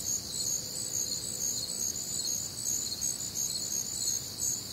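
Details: Night-time cricket chorus recorded on a sultry summer evening in the Midwest, bright high trills pulsing rapidly about two to three times a second, a faint low drone underneath.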